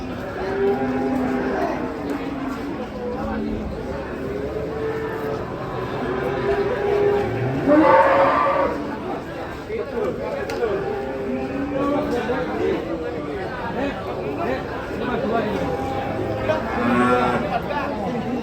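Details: Cattle mooing amid people talking, with several drawn-out harmonic lowing calls spread across the stretch and a louder, rougher bellow near the middle.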